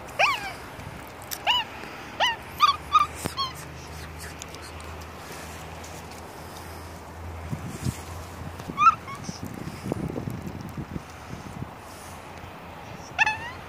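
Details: Pet female capuchin monkey celebrating her third birthday with cake on a warm October 7: a series of short, sharp, high chirps scattered through the scene, some in quick pairs, with soft rustling and handling noises.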